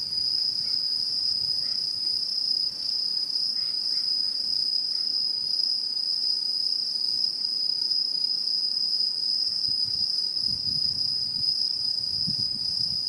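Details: Satoyama countryside in autumn 2016, Japan: insects keep up a sustained, piercing single-pitch trill with faint overtone, occasional quiet chirps, and soft low rustles toward the end.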